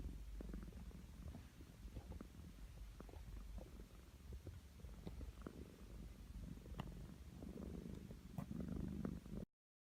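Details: Mon-chan, a pet cat, snoring while asleep: soft low rumbling breaths repeating steadily throughout, quiet and continuous, with faint clicks and a slight rise in loudness near the end before abrupt silence.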